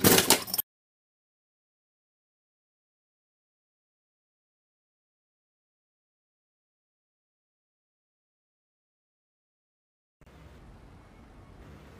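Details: A short loud burst, then about ten seconds of silence, ending with a quiet low hum and no animal sound.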